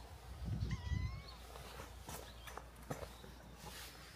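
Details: Stray cats that followed along from a hilltop village down to a harbour, close to a fight with the harbour's own cat group; one short drawn-out meow, wavering then falling, near the start, amid footsteps, clicks and outdoor rumble.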